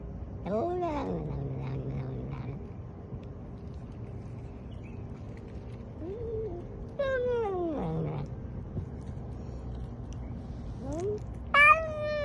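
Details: House cat letting out three separate meows spaced several seconds apart, each sliding down in pitch, with quiet hum and faint background noise between calls.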